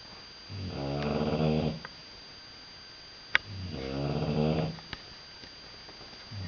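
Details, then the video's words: A pet British Bulldog asleep indoors, snoring loudly: two long rasping, harmonic-rich snores about a second each, separated by quiet pauses, with a few faint clicks between breaths in a small room. "Snoring British Bull Dog"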